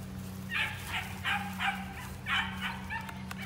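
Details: Two Belgian Malinois sisters in Magnolia, Texas, described as high-drive like their mother and grandmother; a run of sharp, bright barks in two bursts, over a steady low mechanical hum.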